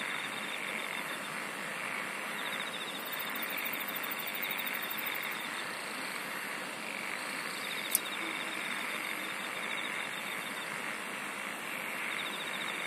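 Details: Chorus of singing insects: a continuous shrill hum overlaid by bursts of fast pulsed trills, including a very high trill lasting about three seconds and a single sharp click midway.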